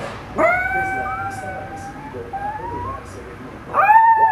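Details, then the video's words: Miniature Pinscher indoors on the owner's bed, joining a car alarm with drawn-out tonal howls: one sustained, slightly bending note lasting over three seconds, followed by a louder, higher howl starting at the end. "Mini pinscher howling in his natural habitat"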